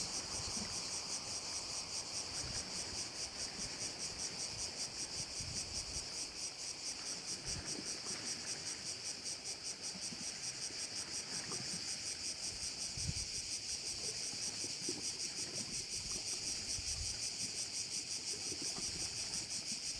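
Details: Along a bay on Korčula, crickets keep up a long, continuous high shrill with quick rhythmic pulsing over twenty seconds, accompanied by a low wash that could be gentle water or wind.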